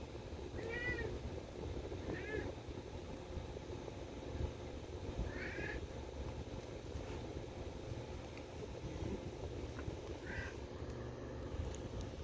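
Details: Harnessed house cat asking to go for a walk, giving four short, bent meows spaced irregularly across about ten seconds, the last one lower, over a constant fan hiss, with faint human voices between calls.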